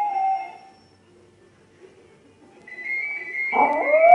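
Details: Maltese. A small Maltese dog gives a drawn-out, high howl that starts steady, fades, then returns rising and wavering. A faint, steady musical tone sounds in the background as the dog sings along.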